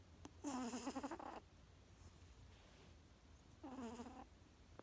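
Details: A female Maine Coon cat snores with a squeaky, high-pitched, wavering whistle on each breath, a few seconds apart.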